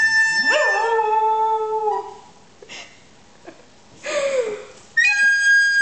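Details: Bailey, a pet dog, howls when a recorder is played: a rising, wavering howl swells at the start and holds for over a second, a second sliding howl follows after a pause, and a steady recorder note sounds at the end.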